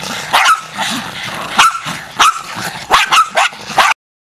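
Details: Pack of feral Jack Russell terriers on the attack, barking hard and fast in an overlapping volley of sharp yaps with growly undertones, ending abruptly.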